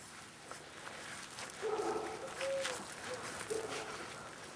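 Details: Staffordshire Bull Terrier puppies, 38 days old, litter K at Staff Komas kennel, 20 September 2010: a few faint, short, high whimpers scattered over a quiet, slightly noisy background.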